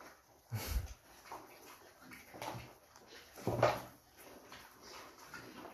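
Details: Pet Juliana mini pigs, a breed from Mexico, playfully nipping at a person indoors; short harsh grunting bursts near 0.7, 2.5 and 3.7 seconds, with softer snuffling noises between them.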